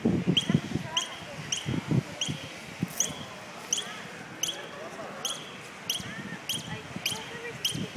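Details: A squirrel at a university campus in Tijuana gives short, sharp, squeaky barks about every two-thirds of a second over low thumps, repeated for a while; it seems unhurt, and the observer thinks it was calling its babies.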